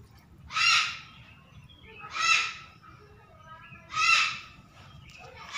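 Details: Young pet otter at bath time giving harsh, grating, broadband squalls, three clear bursts roughly one and a half to two seconds apart, each swelling and fading, over a quiet low background hum.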